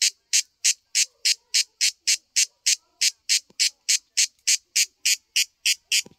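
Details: Cicada found on a tree in a backyard, camouflaged by its tree-like colour, singing a loud, harsh buzzing pulse repeated steadily about three times per second, each burst broadband and high-pitched, with a faint click near the end.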